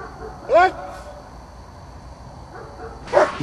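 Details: German Shepherd named Azzo outdoors at an IPO1 obedience test drive: two short, high, rising yelping barks about two and a half seconds apart, over a steady electrical hum and faint background murmur.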